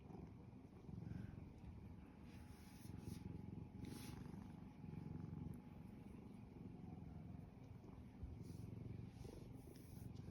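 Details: Pet cat, happy with its owner, purring while at rest: a sustained low throaty rumble that swells and eases slightly over ten seconds, rhythmic and unbroken, with faint thin clicks and a brief soft tone above.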